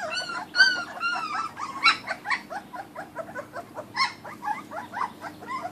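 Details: Kuvasz puppies, a 2013 litter, eating raw food: a busy run of short, high, quavering whines and squeaks that overlap, some rising then falling, with a faint steady hum beneath.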